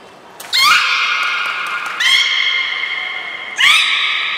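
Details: Beluga whales Gray, Mirai and Niko during a training session at Port of Nagoya Public Aquarium, 16 December 2018: three drawn-out, harmonic-rich squealing whistles, each opening with a quick upward sweep, then held steady and fading, in a reverberant hall.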